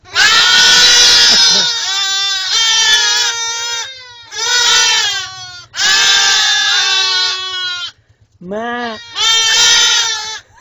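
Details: Young goat kid bleating loudly in long, wavering, high-pitched cries, five or six drawn-out bleats separated by short pauses, one brief lower call near the end; faint low hum underneath.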